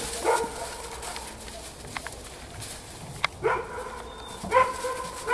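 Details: Playful eight-week-old Belgian Malinois puppies in snow, with three short, high harmonic yips spread across a few seconds over faint background noise and a few clicks.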